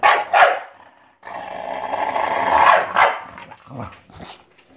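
An English Bulldog gives short rough barks and a drawn-out throaty growl.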